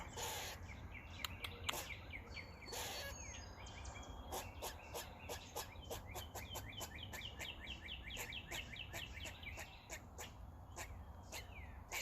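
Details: A squirrel on a roof, making noises while eating, chatters in a fast series of short, squeaky chirps, with sharp clicks and a steady background hum.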